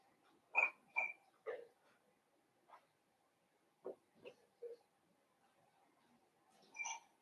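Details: Blenheim Cavalier King Charles Spaniel puppies from a litter of five born at New Year, in an indoor puppy pen: a run of short high yips and thin whines, several in quick succession, then a pause and another whine near the end.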